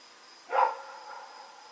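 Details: A single sharp bark from Rex, a dog running around in the night on 7 October 2018, followed by a short fading tail against a faint steady high tone.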